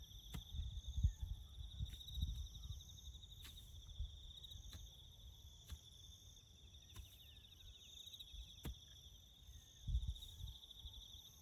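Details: Crickets chirping in the bush beside farm work building a road: a steady, high, finely pulsed trill runs unbroken throughout, over low rumbling thuds of the work and several sharp clicks.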